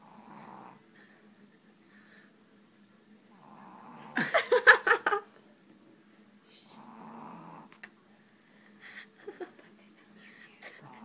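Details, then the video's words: Tess, a pet dog, asleep on a dining room table during a dominoes game, snoring in soft rasping breaths with a steady low hum beneath; a burst of loud laughter and clattering breaks in midway. "Snoring Dog Plays Dominoes"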